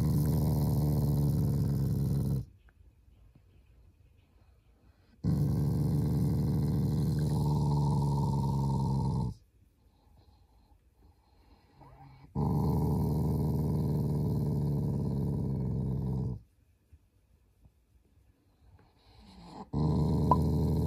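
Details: Affectionate Shiba Inu family pet growling without anger; steady low rumbling growls of roughly three to four seconds, repeating with quiet breaks in between, indoors.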